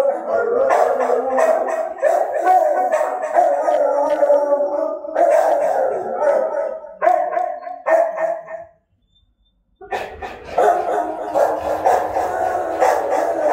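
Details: A group of dogs howls in sustained, quavering tones, with a few barks, a short pause near the end, then renewed howling.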